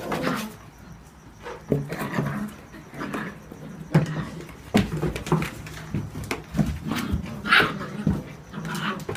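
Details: Young whippet pups, seven weeks old, romp in a new box; repeated short growls, grunts and small whimpering yelps come in quick bursts, with scuffling and knocks of the box between them.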